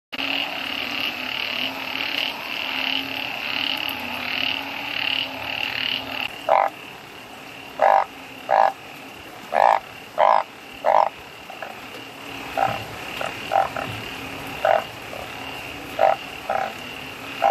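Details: Wild bullfrogs in the rainy season during heavy rain; steady rain hiss at first, then short, throaty croaks repeated about every second in an irregular chorus.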